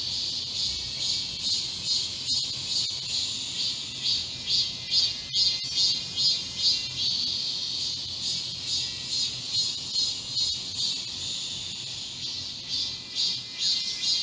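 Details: Cicadas singing together in a garden during a midsummer heatwave on 31 July 2022: a dense, shrill high buzz with rhythmic swells about twice a second, steady throughout, with a few faint clicks.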